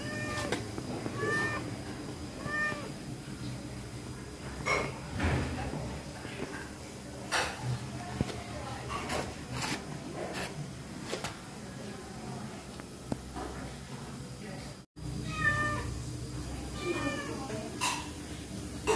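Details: Pregnant stray cat, hungry, in a kitchen where it takes fish; short rising-and-falling meows come in scattered bursts at the start and end, mixed with sharp clatters and knocks of kitchen objects.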